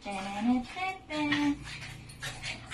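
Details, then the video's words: Shih Tzu named Haru begging for cuddles, recorded 3/29/22, giving two steady, low, drawn-out whines about a second apart, each held level before fading, followed by softer voices indoors. "Haru Begged To Be Cuddled (Shih Tzu)"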